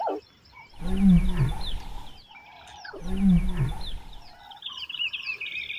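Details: Lion mother and cub in Kruger National Park calling for hidden playful siblings in the bushes; two low, moaning calls about two seconds apart, with chirping birds in the background.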